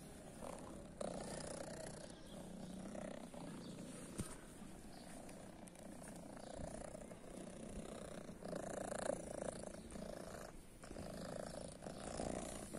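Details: Purring from a female cat believed to be deaf, with one blue eye, living on a guarded private property; a steady low rumbling purr with a throaty, pulsing texture runs through the whole stretch, with light rustling on top.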